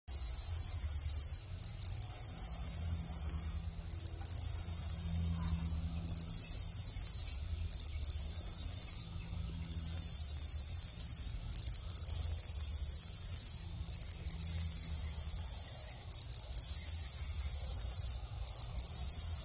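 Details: A grasshopper gives a loud, very high, hissing buzz in long bursts broken by short pauses, described as a mating call.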